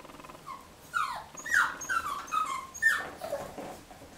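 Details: Nine-week-old male Jack Russell Terrier puppy playing with a ball and a squeaky toy. A run of high, thin whines and yelps bends up and down in pitch for about two seconds, with short gaps between them. Faint room noise sits underneath.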